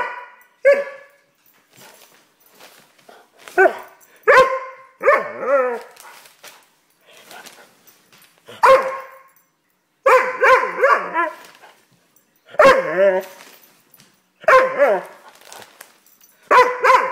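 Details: A Doberman puppy in a tantrum lets out scattered yelping barks and warbling whines, louder bursts coming every second or two between quieter muffled sounds.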